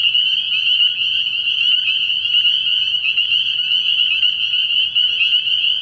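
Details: Spring peepers at a frog pond at night early in the year, a dense chorus of high, piercing peeps merging into a steady shrill ringing, with overlapping callers throughout and no pause.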